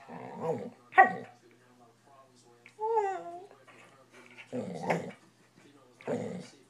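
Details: Bored corgi-mix dog that whines when ignored; one wavering, tonal whine under a second long rises and dips midway, surrounded by a person talking indoors.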